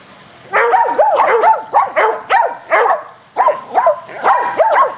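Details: Energetic fetch game with dogs Athena, Brando, Rocko and Charlie on a spring day; a near-continuous run of loud, rapid barks with one short pause midway.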